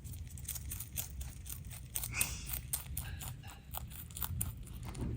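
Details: Bunnies HuanHuan and LeLe eating a load of healthy veggies and grasses, quick crunchy chewing and leaf-tearing sounds in steady bursts, with a soft rustle of greens.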